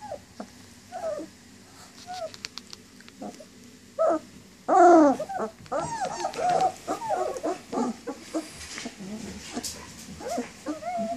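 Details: Whining for mom, a litter of German Shepherd pups aged 19 days sends out scattered soft whimpers, then a louder burst of overlapping squeals and wavering cries from several puppies midway.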